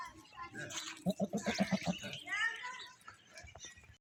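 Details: Goats in a village in the morning: a tremulous, pulsing bleat with about eight quick wavers in under a second, set among rougher, noisy background sounds and other brief calls.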